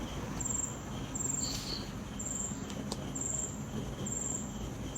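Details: Night ambience with crickets sounding short, shrill bursts at a steady pace, roughly every second, while a faint breeze hisses low beneath them.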